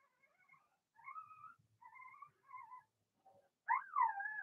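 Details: Indoor pen of six Blenheim Cavalier King Charles Spaniel puppies: thin, whistled whimpers repeated about once a second, ending in a louder, sharply rising then falling whine.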